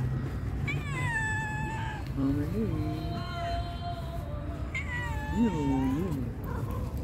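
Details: Pregnant calico cat meowing sweetly: a long falling meow, then several short rising-and-falling mews, another drawn-out meow and two more brief mews, over a steady low background rumble.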